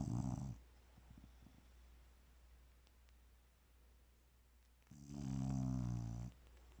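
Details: Sleeping bulldog snoring peacefully indoors: two low, rattling, harmonic snore breaths, one at the start and a longer one about five seconds later, with quiet breathing between them.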